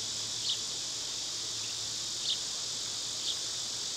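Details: Summer cicadas drone in a steady, dense high-pitched hiss that never breaks, while three brief bird chirps cut through at intervals in the background.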